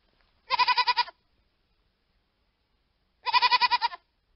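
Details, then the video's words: Hogget, a young sheep, giving two short quavering bleats, each about half a second long with a rapid pulsing tremble, spaced roughly three seconds apart against clean silence. "hogget sound effect"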